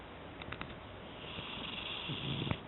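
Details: Cat snoring in its sleep indoors: a raspy, breathy, noisy rattle with a few small clicks, building slightly toward the end and ending in a brief sharp snort.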